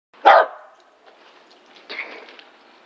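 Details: A corgi playing ball in the New Jersey snow gives one sharp, loud bark, followed by a softer, rougher bark about a second and a half later.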